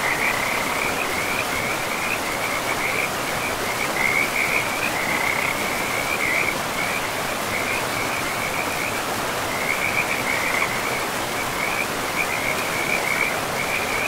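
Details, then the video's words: Along a forest river, frogs keep up an unbroken chorus of shrill, rapidly pulsed trills that barely change in pitch, while loud broadband river noise fills the background throughout. "River and Frogs sleep sounds"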